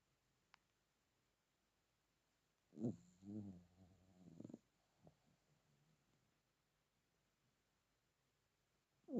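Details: Sleeping male Chihuahua, called baby bear, snoring his little head off: one low, rough, rumbling snore of about two seconds with a pulsing, harmonic texture, then a few soft snuffles and a short breathy burst at the very end, otherwise near silence.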